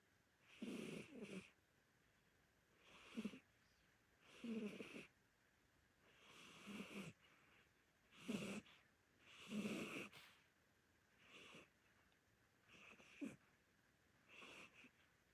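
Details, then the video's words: Sleeping senior orange Korean shorthair cat snoring indoors, rough breathy snores recurring about every one to two seconds, each a broad hissing rasp with a low rumbling core; quiet room between breaths. "안 키워본 사람은 모르는 고양이 실체🤣|코골이, 눈 뜨고 잠, 몸부림, 잠꼬대"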